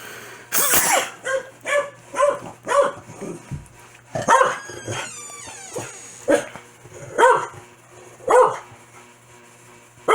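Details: Corgi Foxy gets mad whenever its owner sneezes; after a loud noisy burst, a rapid series of harmonic barks and yips follows, with a faint rising whine midway and a low hum underneath.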